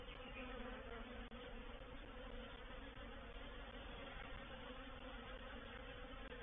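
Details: Honey bee reproductive swarm moving into a bait hive (swarm trap) at Painted Peacock Manor, 04/07/21: a dense, steady droning hum of many bees, continuous and even throughout with bands near 250 and 500 pitch levels.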